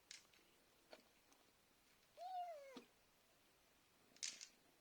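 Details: A pet cat calling to be fed in the evening: one drawn-out meow lasting about half a second. It starts high and slides steadily downward, with faint clicks and a brief hiss-like rustle before and after.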